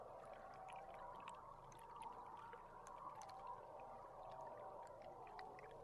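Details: Belugas recorded underwater from a tour boat camera on July 16. Scattered short, high chirps and click-like pips flicker over a steady watery hiss, with a dense murmuring band low in the background.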